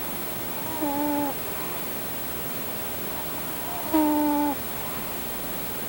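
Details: Pet cat, a male, fast asleep lying on a person, letting out whistling snores: two flat, slightly buzzy tones about three seconds apart, each under a second long, over steady background hiss.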